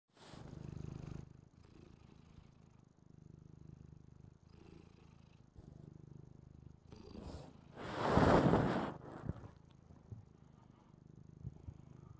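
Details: Female domestic cat purring while watching a replay of herself on TV, seemingly fascinated; steady low rumbling purr in rhythmic inhale-exhale pulses, interrupted around the eighth second by a brief loud rustling burst.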